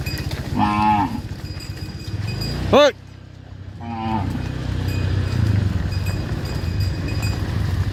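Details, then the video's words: Herded tame cattle calling on the way back to the farm pen: two short moos separated by a sharp rising squeal, over a constant low engine drone. "Herding Dozens of Tame Cattle Back to the Farm Pen: Funny Cow Sounds"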